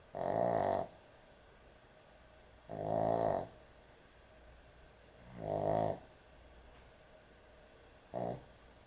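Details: Dog snoring heavily in its sleep at bedtime: four rasping, buzzy snores spaced roughly two and a half seconds apart, the last one clipped short, with quiet breathing pauses between.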